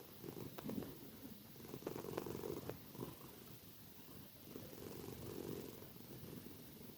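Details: Sleeping tortie cat snoring very loudly, giving rough, purr-like breathing pulses in uneven clusters, some breaths stronger than others, over a steady background hiss indoors.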